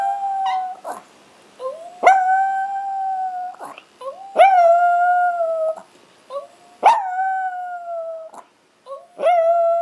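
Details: Two pet Chihuahuas, Ace and the brown Oscar, who is still learning, give a string of howls. Ace does this when he can't find his mom. The howls are sustained and level, each one opened by a yip-like rising onset, and they come roughly every two seconds.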